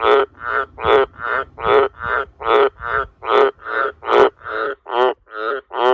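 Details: Loud repeated croaks of a wild Australian green tree frog living around a farmhouse and sheds at night; about a dozen short rasping bursts in steady succession, the last few slightly softer and thinner.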